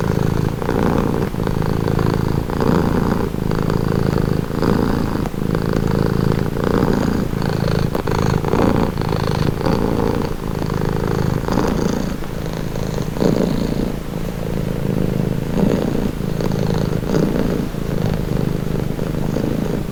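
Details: Relaxing purring of a pet cat, deep throaty rumble pulsing in regular breath cycles about once per second, slightly softer toward the end, otherwise uninterrupted.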